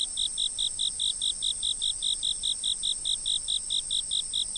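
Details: Outdoor insect chirping from a fixed camera: a steady unbroken run of bright, high chirps, about five each second, with a continuous thin high whine of other insects behind.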